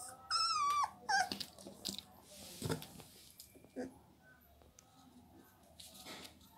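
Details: Heavy-bone Labrador Retriever puppy lets out a loud, high, wavering whine that drops in pitch, then a second shorter squeal, followed by quieter rustling and faint indoor sounds.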